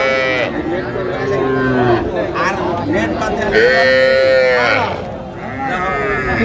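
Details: Sahiwal calves at a Faridpur cattle market on 17 March: a short moo opens the recording. A louder drawn-out bawl follows midway, over a constant background of people talking.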